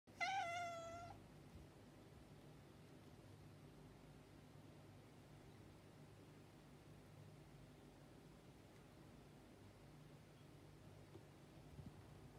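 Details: Male indoor cat that dislikes being kept indoors gives a single drawn-out, falling meow lasting about a second, then quiet room hum for the rest of the recording.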